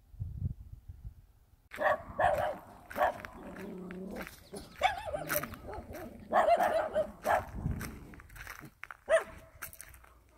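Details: Dog in the countryside barking busily: dense, overlapping bursts of barks following a quiet opening, with a faint low rumble and scattered clatter.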